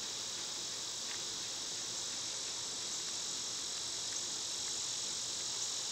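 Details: A dense, even, high-pitched hiss of summer cicadas fills everything with no breaks and no other clear sounds, only a faint low rumble underneath.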